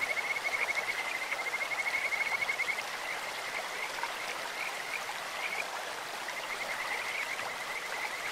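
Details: High, rippling trill of a Kajika frog over a clear stream, lasting nearly three seconds at the start, followed by fainter, shorter trilled bursts against steady water noise.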